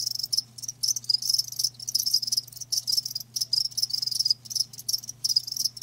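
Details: Live crickets chirping, a dense run of high, shrill trills in short bursts separated by brief gaps, several callers overlapping, with a faint steady low hum underneath.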